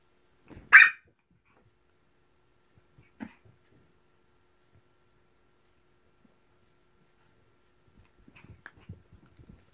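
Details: Maltese. A Maltese lets out a single loud, high-pitched bark, a playful invitation, followed a few seconds later by a much quieter yip. Near the end, soft shuffling and scrabbling sounds are heard in a quiet indoor room.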